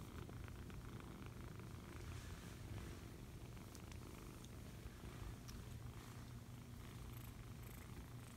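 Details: A foster kitten being cuddled purrs steadily, a low continuous rumble with a soft rhythmic pulse.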